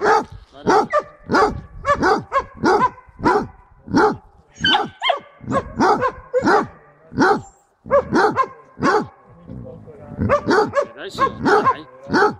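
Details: Jenny, a Basset hound on a boar hunt at Šaštín, Slovakia, in January 2014, bays at a wild boar: sharp, ringing barks come roughly every half second, a short gap near eight seconds, then resume.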